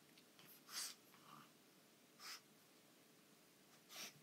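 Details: Pug puppy, a young female, roughly playing with an anglerfish toy indoors: three short, breathy snorting bursts spaced about a second and a half apart, hissy and sneeze-like, with quiet room noise between.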